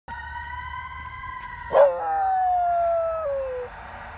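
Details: A Basenji cross Corgi dog howling at a fire truck: a steady siren-like tone, then a sudden harsh onset and a long howl that holds level before stepping down and fading after about two seconds.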